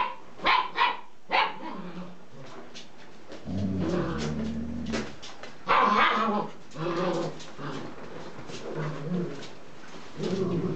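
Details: Puppies at play, giving short sharp yips and barks in quick bursts near the start, then lower rumbling growls and repeated snarly barks through the rest, with scuffling between calls.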